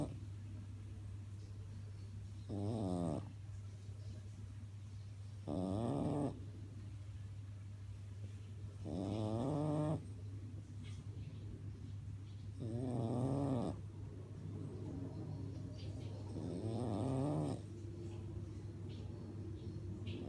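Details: Sleeping French bulldog snoring steadily, five rasping, buzzy snorts spaced roughly every three to four seconds, each lasting under a second, over a constant low background hum.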